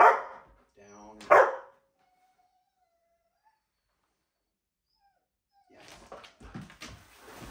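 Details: A Miniature Australian Shepherd being trained to walk on a leash gives two loud barks about a second apart, then silence, then soft handling noises and movement.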